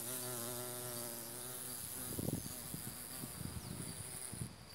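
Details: Low, wavering drone of a carpenter bee's wings, which pollinate passion fruit and other plants, held for about two seconds before fading into rustling thumps, with constant shrill insect chirping behind.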